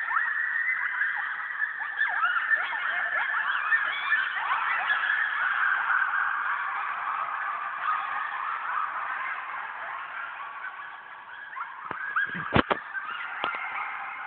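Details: Coyote pack going wild at night in a yard after one animal began howling: a dense, continuous chorus of wavering, overlapping howls and high yips, with a few sharp barks near the end.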